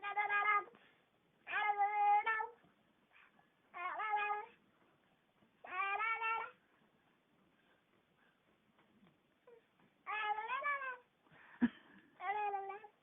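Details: Pet cat making funny noises while her gums are rubbed, indoors: repeated drawn-out meow-like wails about a second long, with wavering harmonic tones, separated by quiet pauses.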